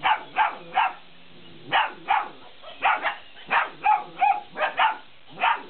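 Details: Belgian Malinois puppies, 50 days old, playing with a laughing cat toy: high, sharp yapping barks in quick uneven bursts, about a dozen over several seconds, overlapping one another.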